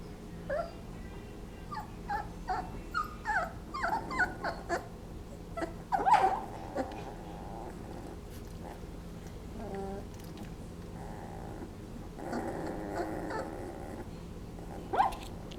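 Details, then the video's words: 20-day-old Basset Hound puppies napping give soft whimpers, squeaks and small grunts in short, uneven bursts. "Basset Hound Puppies making funny noises"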